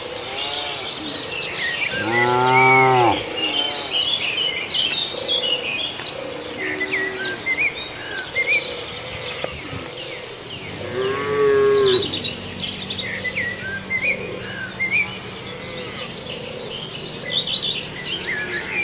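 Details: Cattle in Indonesia eating villagers' green grass. Two loud, long moos stand out early and late, with softer lowing between. Constant bird chirps and insect chirring run underneath.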